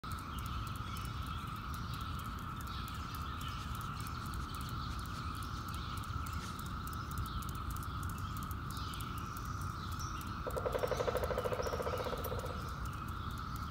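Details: Brood X 17-year periodical cicada clicking its wings: sharp dry clicks scattered through the recording over a steady, even droning chorus that holds one pitch throughout, with a louder buzzing burst near the end.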